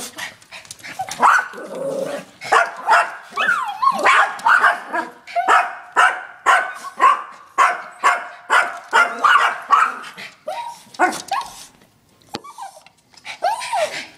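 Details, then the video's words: Multiple Yorkshire terriers confronting a raccoon give a steady run of sharp, high barks about twice a second, some with rising whiny yips, tapering into a few separate yelps near the end. "Yorkshire terriers vs raccoon and themselves."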